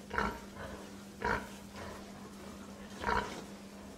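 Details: Pig giving a few short, rough grunts at irregular gaps, some close together and others about two seconds apart, over a steady low electrical hum.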